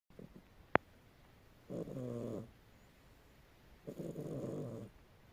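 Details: A sleeping domestic cat snoring; two low, rasping, buzzy breaths roughly two seconds apart, each lasting under a second, with a sharp click early on and quiet room background.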